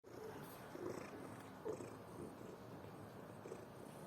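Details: Sleeping domestic cat snoring, a soft, steady rumbling breath sound with gentle swells in loudness and no other clear sounds.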